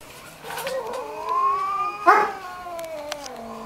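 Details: Two cats fighting, one defending her ground: a long, drawn-out, wavering wail that slowly rises and then sags, with a sharper yowl midway and faint clicks behind.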